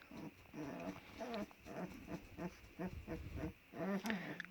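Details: Kangal puppies, black-headed, deep asleep, eyes just starting to open: a run of soft, low nasal grunts and whimpers, rising and falling, about two each second, over a steady background hum.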